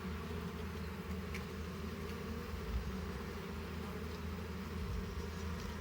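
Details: Honey bees at a hive during honey harvesting, a steady low droning hum with a constant even buzz throughout, with faint handling noises.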